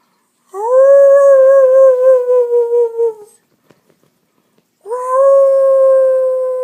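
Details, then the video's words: Two long, level howls from family pet dogs crying. The first wobbles near its end and cuts off, and a second steady howl begins after a short silent gap. "When Dogs Cry"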